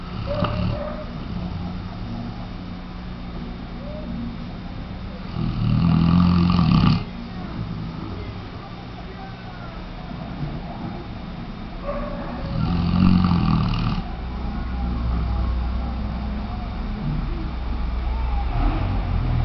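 A Weimaraner snores deeply, each breath a low, rattling rasp lasting a second or two, repeating roughly every seven seconds. A steady low hum runs underneath throughout.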